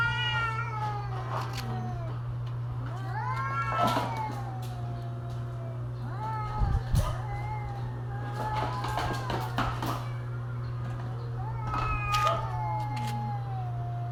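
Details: Cats in mating season trade repeated short, bending yowls, each rising then falling. Sharp noisy bursts and clicks are scattered between the cries, over a constant low hum.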